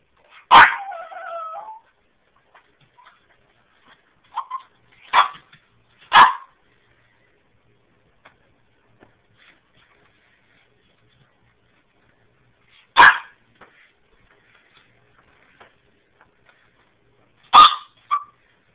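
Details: Dexter, a small Half Boston Terrier, half French Bulldog puppy, still too little to come downstairs while learning the stairs, gives one drawn-out wavering whine, then a few short high yips spaced several seconds apart, with long quiet gaps between.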